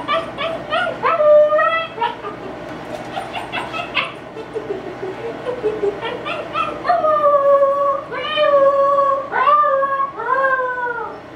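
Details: A female Siberian Husky puppy, left inside alone while her owners set up a yard sale, howls for the first time in short, quavering bursts rising and falling in pitch, broken by yips and whimpers.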